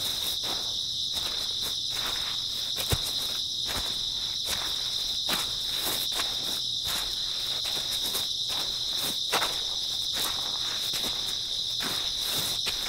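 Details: Grass insects trill without pause on an early autumn night, a dense high whirring, with footfalls thudding at an even walking pace.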